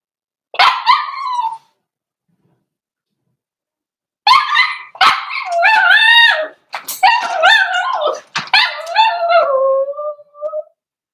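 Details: A four-week-old Cavalier King Charles Spaniel puppy cries in a home pen while meeting other dogs and trying puppy mash. One short yelp is followed, after a pause, by a run of rapid, wavering whines and yelps that slide downward at the end.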